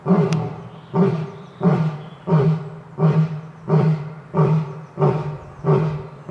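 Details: Lion giving a steady series of deep, short grunting roars, about eight evenly repeated pulses at roughly two-thirds-second intervals.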